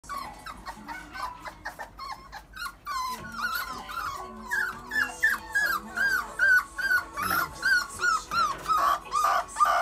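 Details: A female Golden Retriever puppy gives a run of high, rising-and-falling whines and yips, about two per second, growing louder toward the end, with some soft background sounds.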